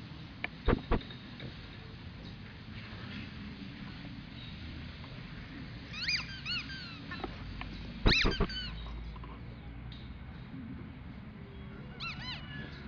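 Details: A young male English bulldog puppy whines in thin, high, bending cries. Short clusters come near six, eight and twelve seconds, with a few sharp knocks early on and a low indoor hum throughout.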